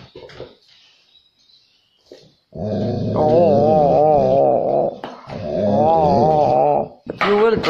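A golden retriever puppy gives long, wavering, grumbly barks, demanding to be taken for a walk.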